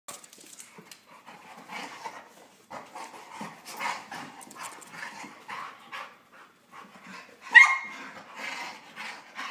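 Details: Husky, Chihuahua and Lab mix pup wrestling playfully: a run of short, breathy growly grumbles and huffing yips across the whole stretch, broken by one sharp, high yelp near the end.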